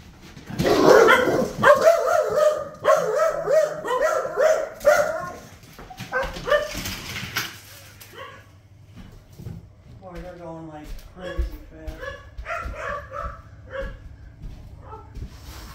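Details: Scottish Terriers and a rescue pup indoors, excitedly reacting to a squirrel seen through the window: loud, rapid barks and yips in dense bursts during the first eight seconds, then looser, quieter barks and whiny yelps.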